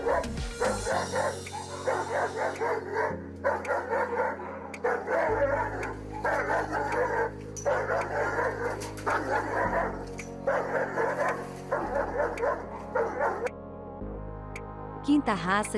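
A Dogo Argentino barks in rapid bursts over steady background music.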